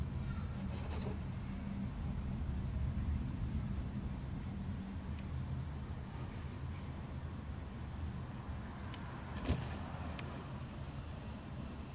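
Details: Continuous low street rumble from vehicles with a brief knock partway through and no audible cat voice.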